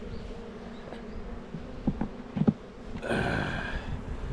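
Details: Honey bees kept by a beekeeper on Jirisan, South Korea, humming while hive frames are handled. A steady low drone runs throughout under knocks and clicks, then a louder rushing noise swells after three seconds.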